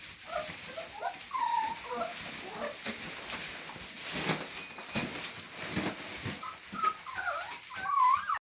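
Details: Rottweiler puppies, fall 2019: repeated thin, rising and falling whines and squeaky yelps, several overlapping, with a bright arching whine near the end, over a constant hiss.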